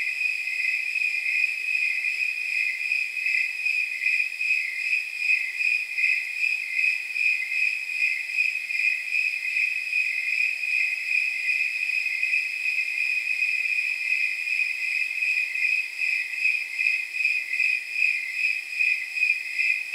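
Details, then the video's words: Snowy tree crickets calling on a warm night of about 79 degrees, a dense high ringing chorus of fast chirps, about 150 per minute, the individual beats partly smeared together. "Snowy Tree Crickets 10 Hour Sleep Sound"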